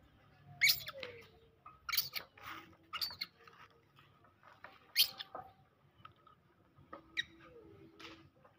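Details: Pet monkeys squabbling as larger ones greedily snatch food from smaller ones and hit them: sharp, shrill shrieks burst out in quick clusters, mixed with thin squeals that slide downward, indoors with little background noise.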